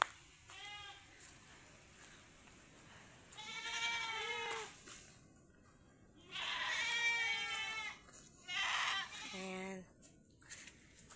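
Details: Domestic goats kept by their owners, filmed where they are tethered: four quavering, harmonic-rich bleats in separate bursts, with talking between them.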